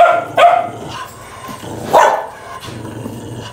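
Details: Fighting dogs give two sharp barks over a low rumbling growl.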